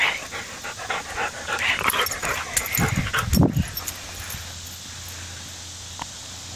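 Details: Brooklyn, a pet dog, playing with a rawhide: scattered clicking and gnawing noises, then a brief low, rough, voiced rumble midway through, followed by near quiet.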